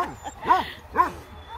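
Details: A female German Shepherd mix named Tala, aged two and of medium size, up for adoption, lets out two clear, arching yelps about half a second apart over a quiet background.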